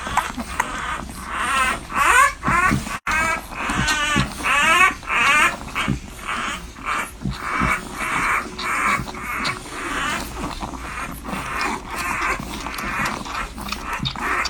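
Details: Newborn French Bulldog puppies nursing, heard up close: rapid high squeaks and whimpers, wavering up and down, about one or two each second in loose bursts, over a steady low background hum.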